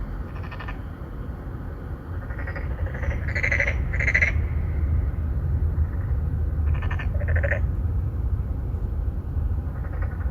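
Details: Three or four narrow-mouthed frogs courting females in an apartment-complex pond in Songdo, Incheon, Korea, recorded on a Galaxy Note9 phone: short pulsed nasal croaks, several in bursts, some overlapping, over a steady low rumble.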